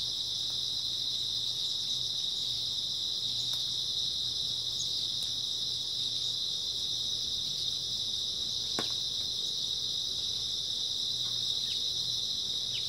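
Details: Grass insects on an early autumn night in Korea, a dense continuous high chorus of steady shrill trilling with no breaks, a few faint clicks and soft low rumble beneath.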